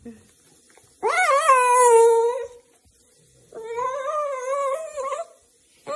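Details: Playful Miniature Dachshund gives two long, drawn-out whining howls, each steady and tuneful with a slight wavering rise, the first about one and a half seconds long, the second after a short pause, in a quiet room.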